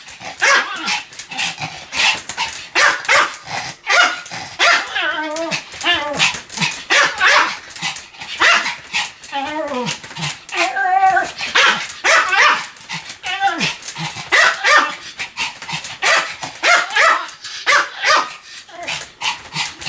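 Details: Continuous barking from Sam, a pet Pomeranian: rapid high-pitched yaps repeated without pause, mixed with wavering, drawn-out whiny yelps in the middle stretch.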